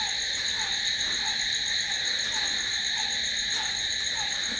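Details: Continuous high shrilling of crickets after dark, even and unbroken, with intermittent lower short notes repeating at a steady pace beneath the chorus.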